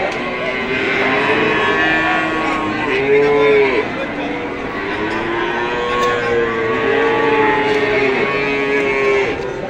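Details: Female Pegon and Limousin calves offered for sale: a run of long, low, harmonic moos, several bending upward then falling, follow one another almost without pause, with faint human chatter underneath.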